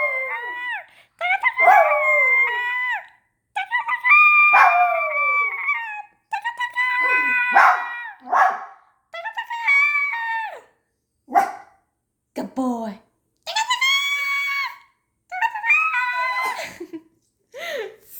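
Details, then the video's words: Pet miniature poodle howls after a child's loud noise, giving a long series of wavering, high-pitched howls that fall in pitch, broken by brief yelps and short pauses. "my miniature poodle howls when my daughter makes a loud noise."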